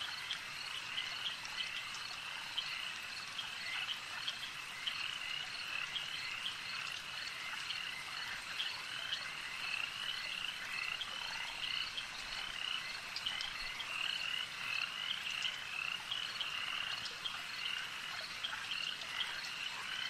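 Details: Frogs calling at a lake: a dense, steady chorus of short, high, chirping croaks repeated rapidly and overlapping, with a faint hiss and scattered insect-like ticks behind them.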